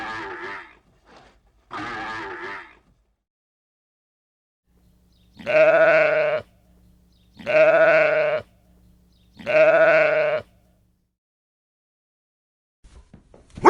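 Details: Domestic goat bleating: a few rough calls at first, then after a quiet gap three loud, nasal, wavering bleats about two seconds apart, each lasting around a second.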